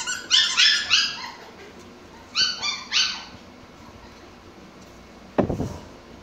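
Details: Mikey the Pomsky, playing with toys, lets out a burst of three sharp high yips, a pause, then two more, followed by a dull thump.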